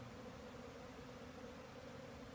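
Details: Crowd of bees in the air around beekeeping hives on a sunny day, drawn from several hives rather than a swarm; continuous droning buzz of many wings blending into an even, low-pitched hum.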